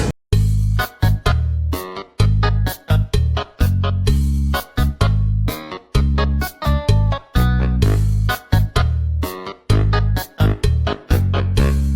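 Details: Bouncy swing-style keyboard music plays throughout in short, punchy chords.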